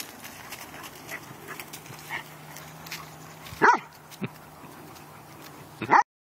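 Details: Two pet dogs at play. Background rumble and faint noise, then a burst of barking with a short yip, and a final loud bark before sudden silence.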